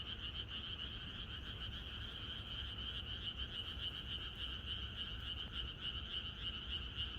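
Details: Countryside frogs singing in chorus the night before rain in Korea, overlapping rapid croaks merging into a steady throbbing buzz, strongest high band with a softer lower one, constant low-frequency rumble.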